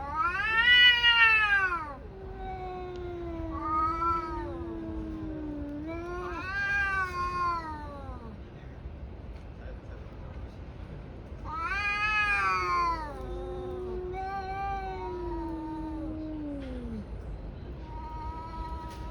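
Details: Two tabby cats brawling, fight caterwauls: long wailing howls with strong harmonics, rising into loud yowling peaks then sliding down into low drawn-out moans, several bursts alternating across the recording.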